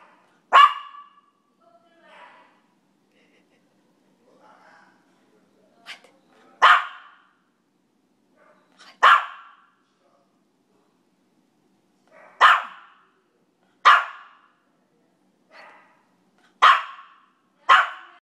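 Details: Two-year-old, five-pound female Maltese barking back and forth with a dog downstairs: sharp single barks every one to three seconds, about eight loud ones, with fainter answering yips and barks between them in a quiet room.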